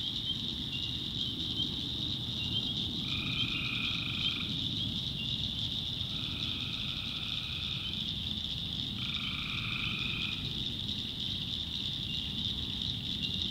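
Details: Night recording of tree frogs in a North Carolina swamp; three trilled, buzzy calls, each lasting over a second, come roughly every three seconds against a constant shrill chorus hum.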